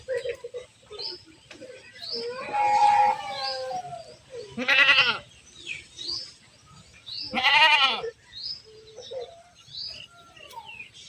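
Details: Goats on the move while being herded: two short, harsh, wavering bleats a few seconds apart, with a softer call earlier and frequent light chirping behind.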